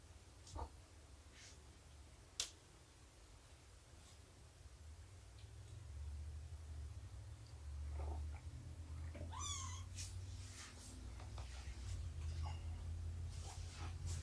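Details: Shelby, an abandoned mother cat estimated at two years old, during morning snuggles and nursing time indoors: a low, steady rumbling purr runs through, broken midway by one short rising meow, with scattered soft clicks and taps.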